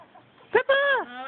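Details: Wolfdog named Pepper 'talking': a short clipped yelp, then a sustained tonal, harmonic vocal note that holds steady and drops away at the end, with faint background noise.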